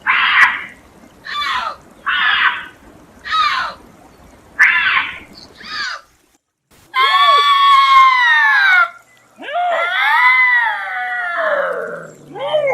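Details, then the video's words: Bobcat screaming: a run of short harsh rasping bursts about once a second, then two long drawn-out wavering screams with strong harmonics, the last sliding downward. "Bobcat Scream Sound"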